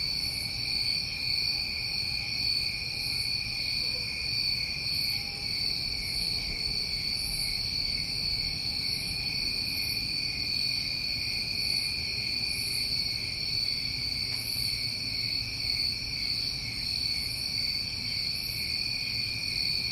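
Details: Crickets recorded on a New England summer night: a dense, unbroken high-pitched chorus of steady trilling tones in several layers, with faint soft pulses up top recurring every two seconds or so, and low rumble beneath.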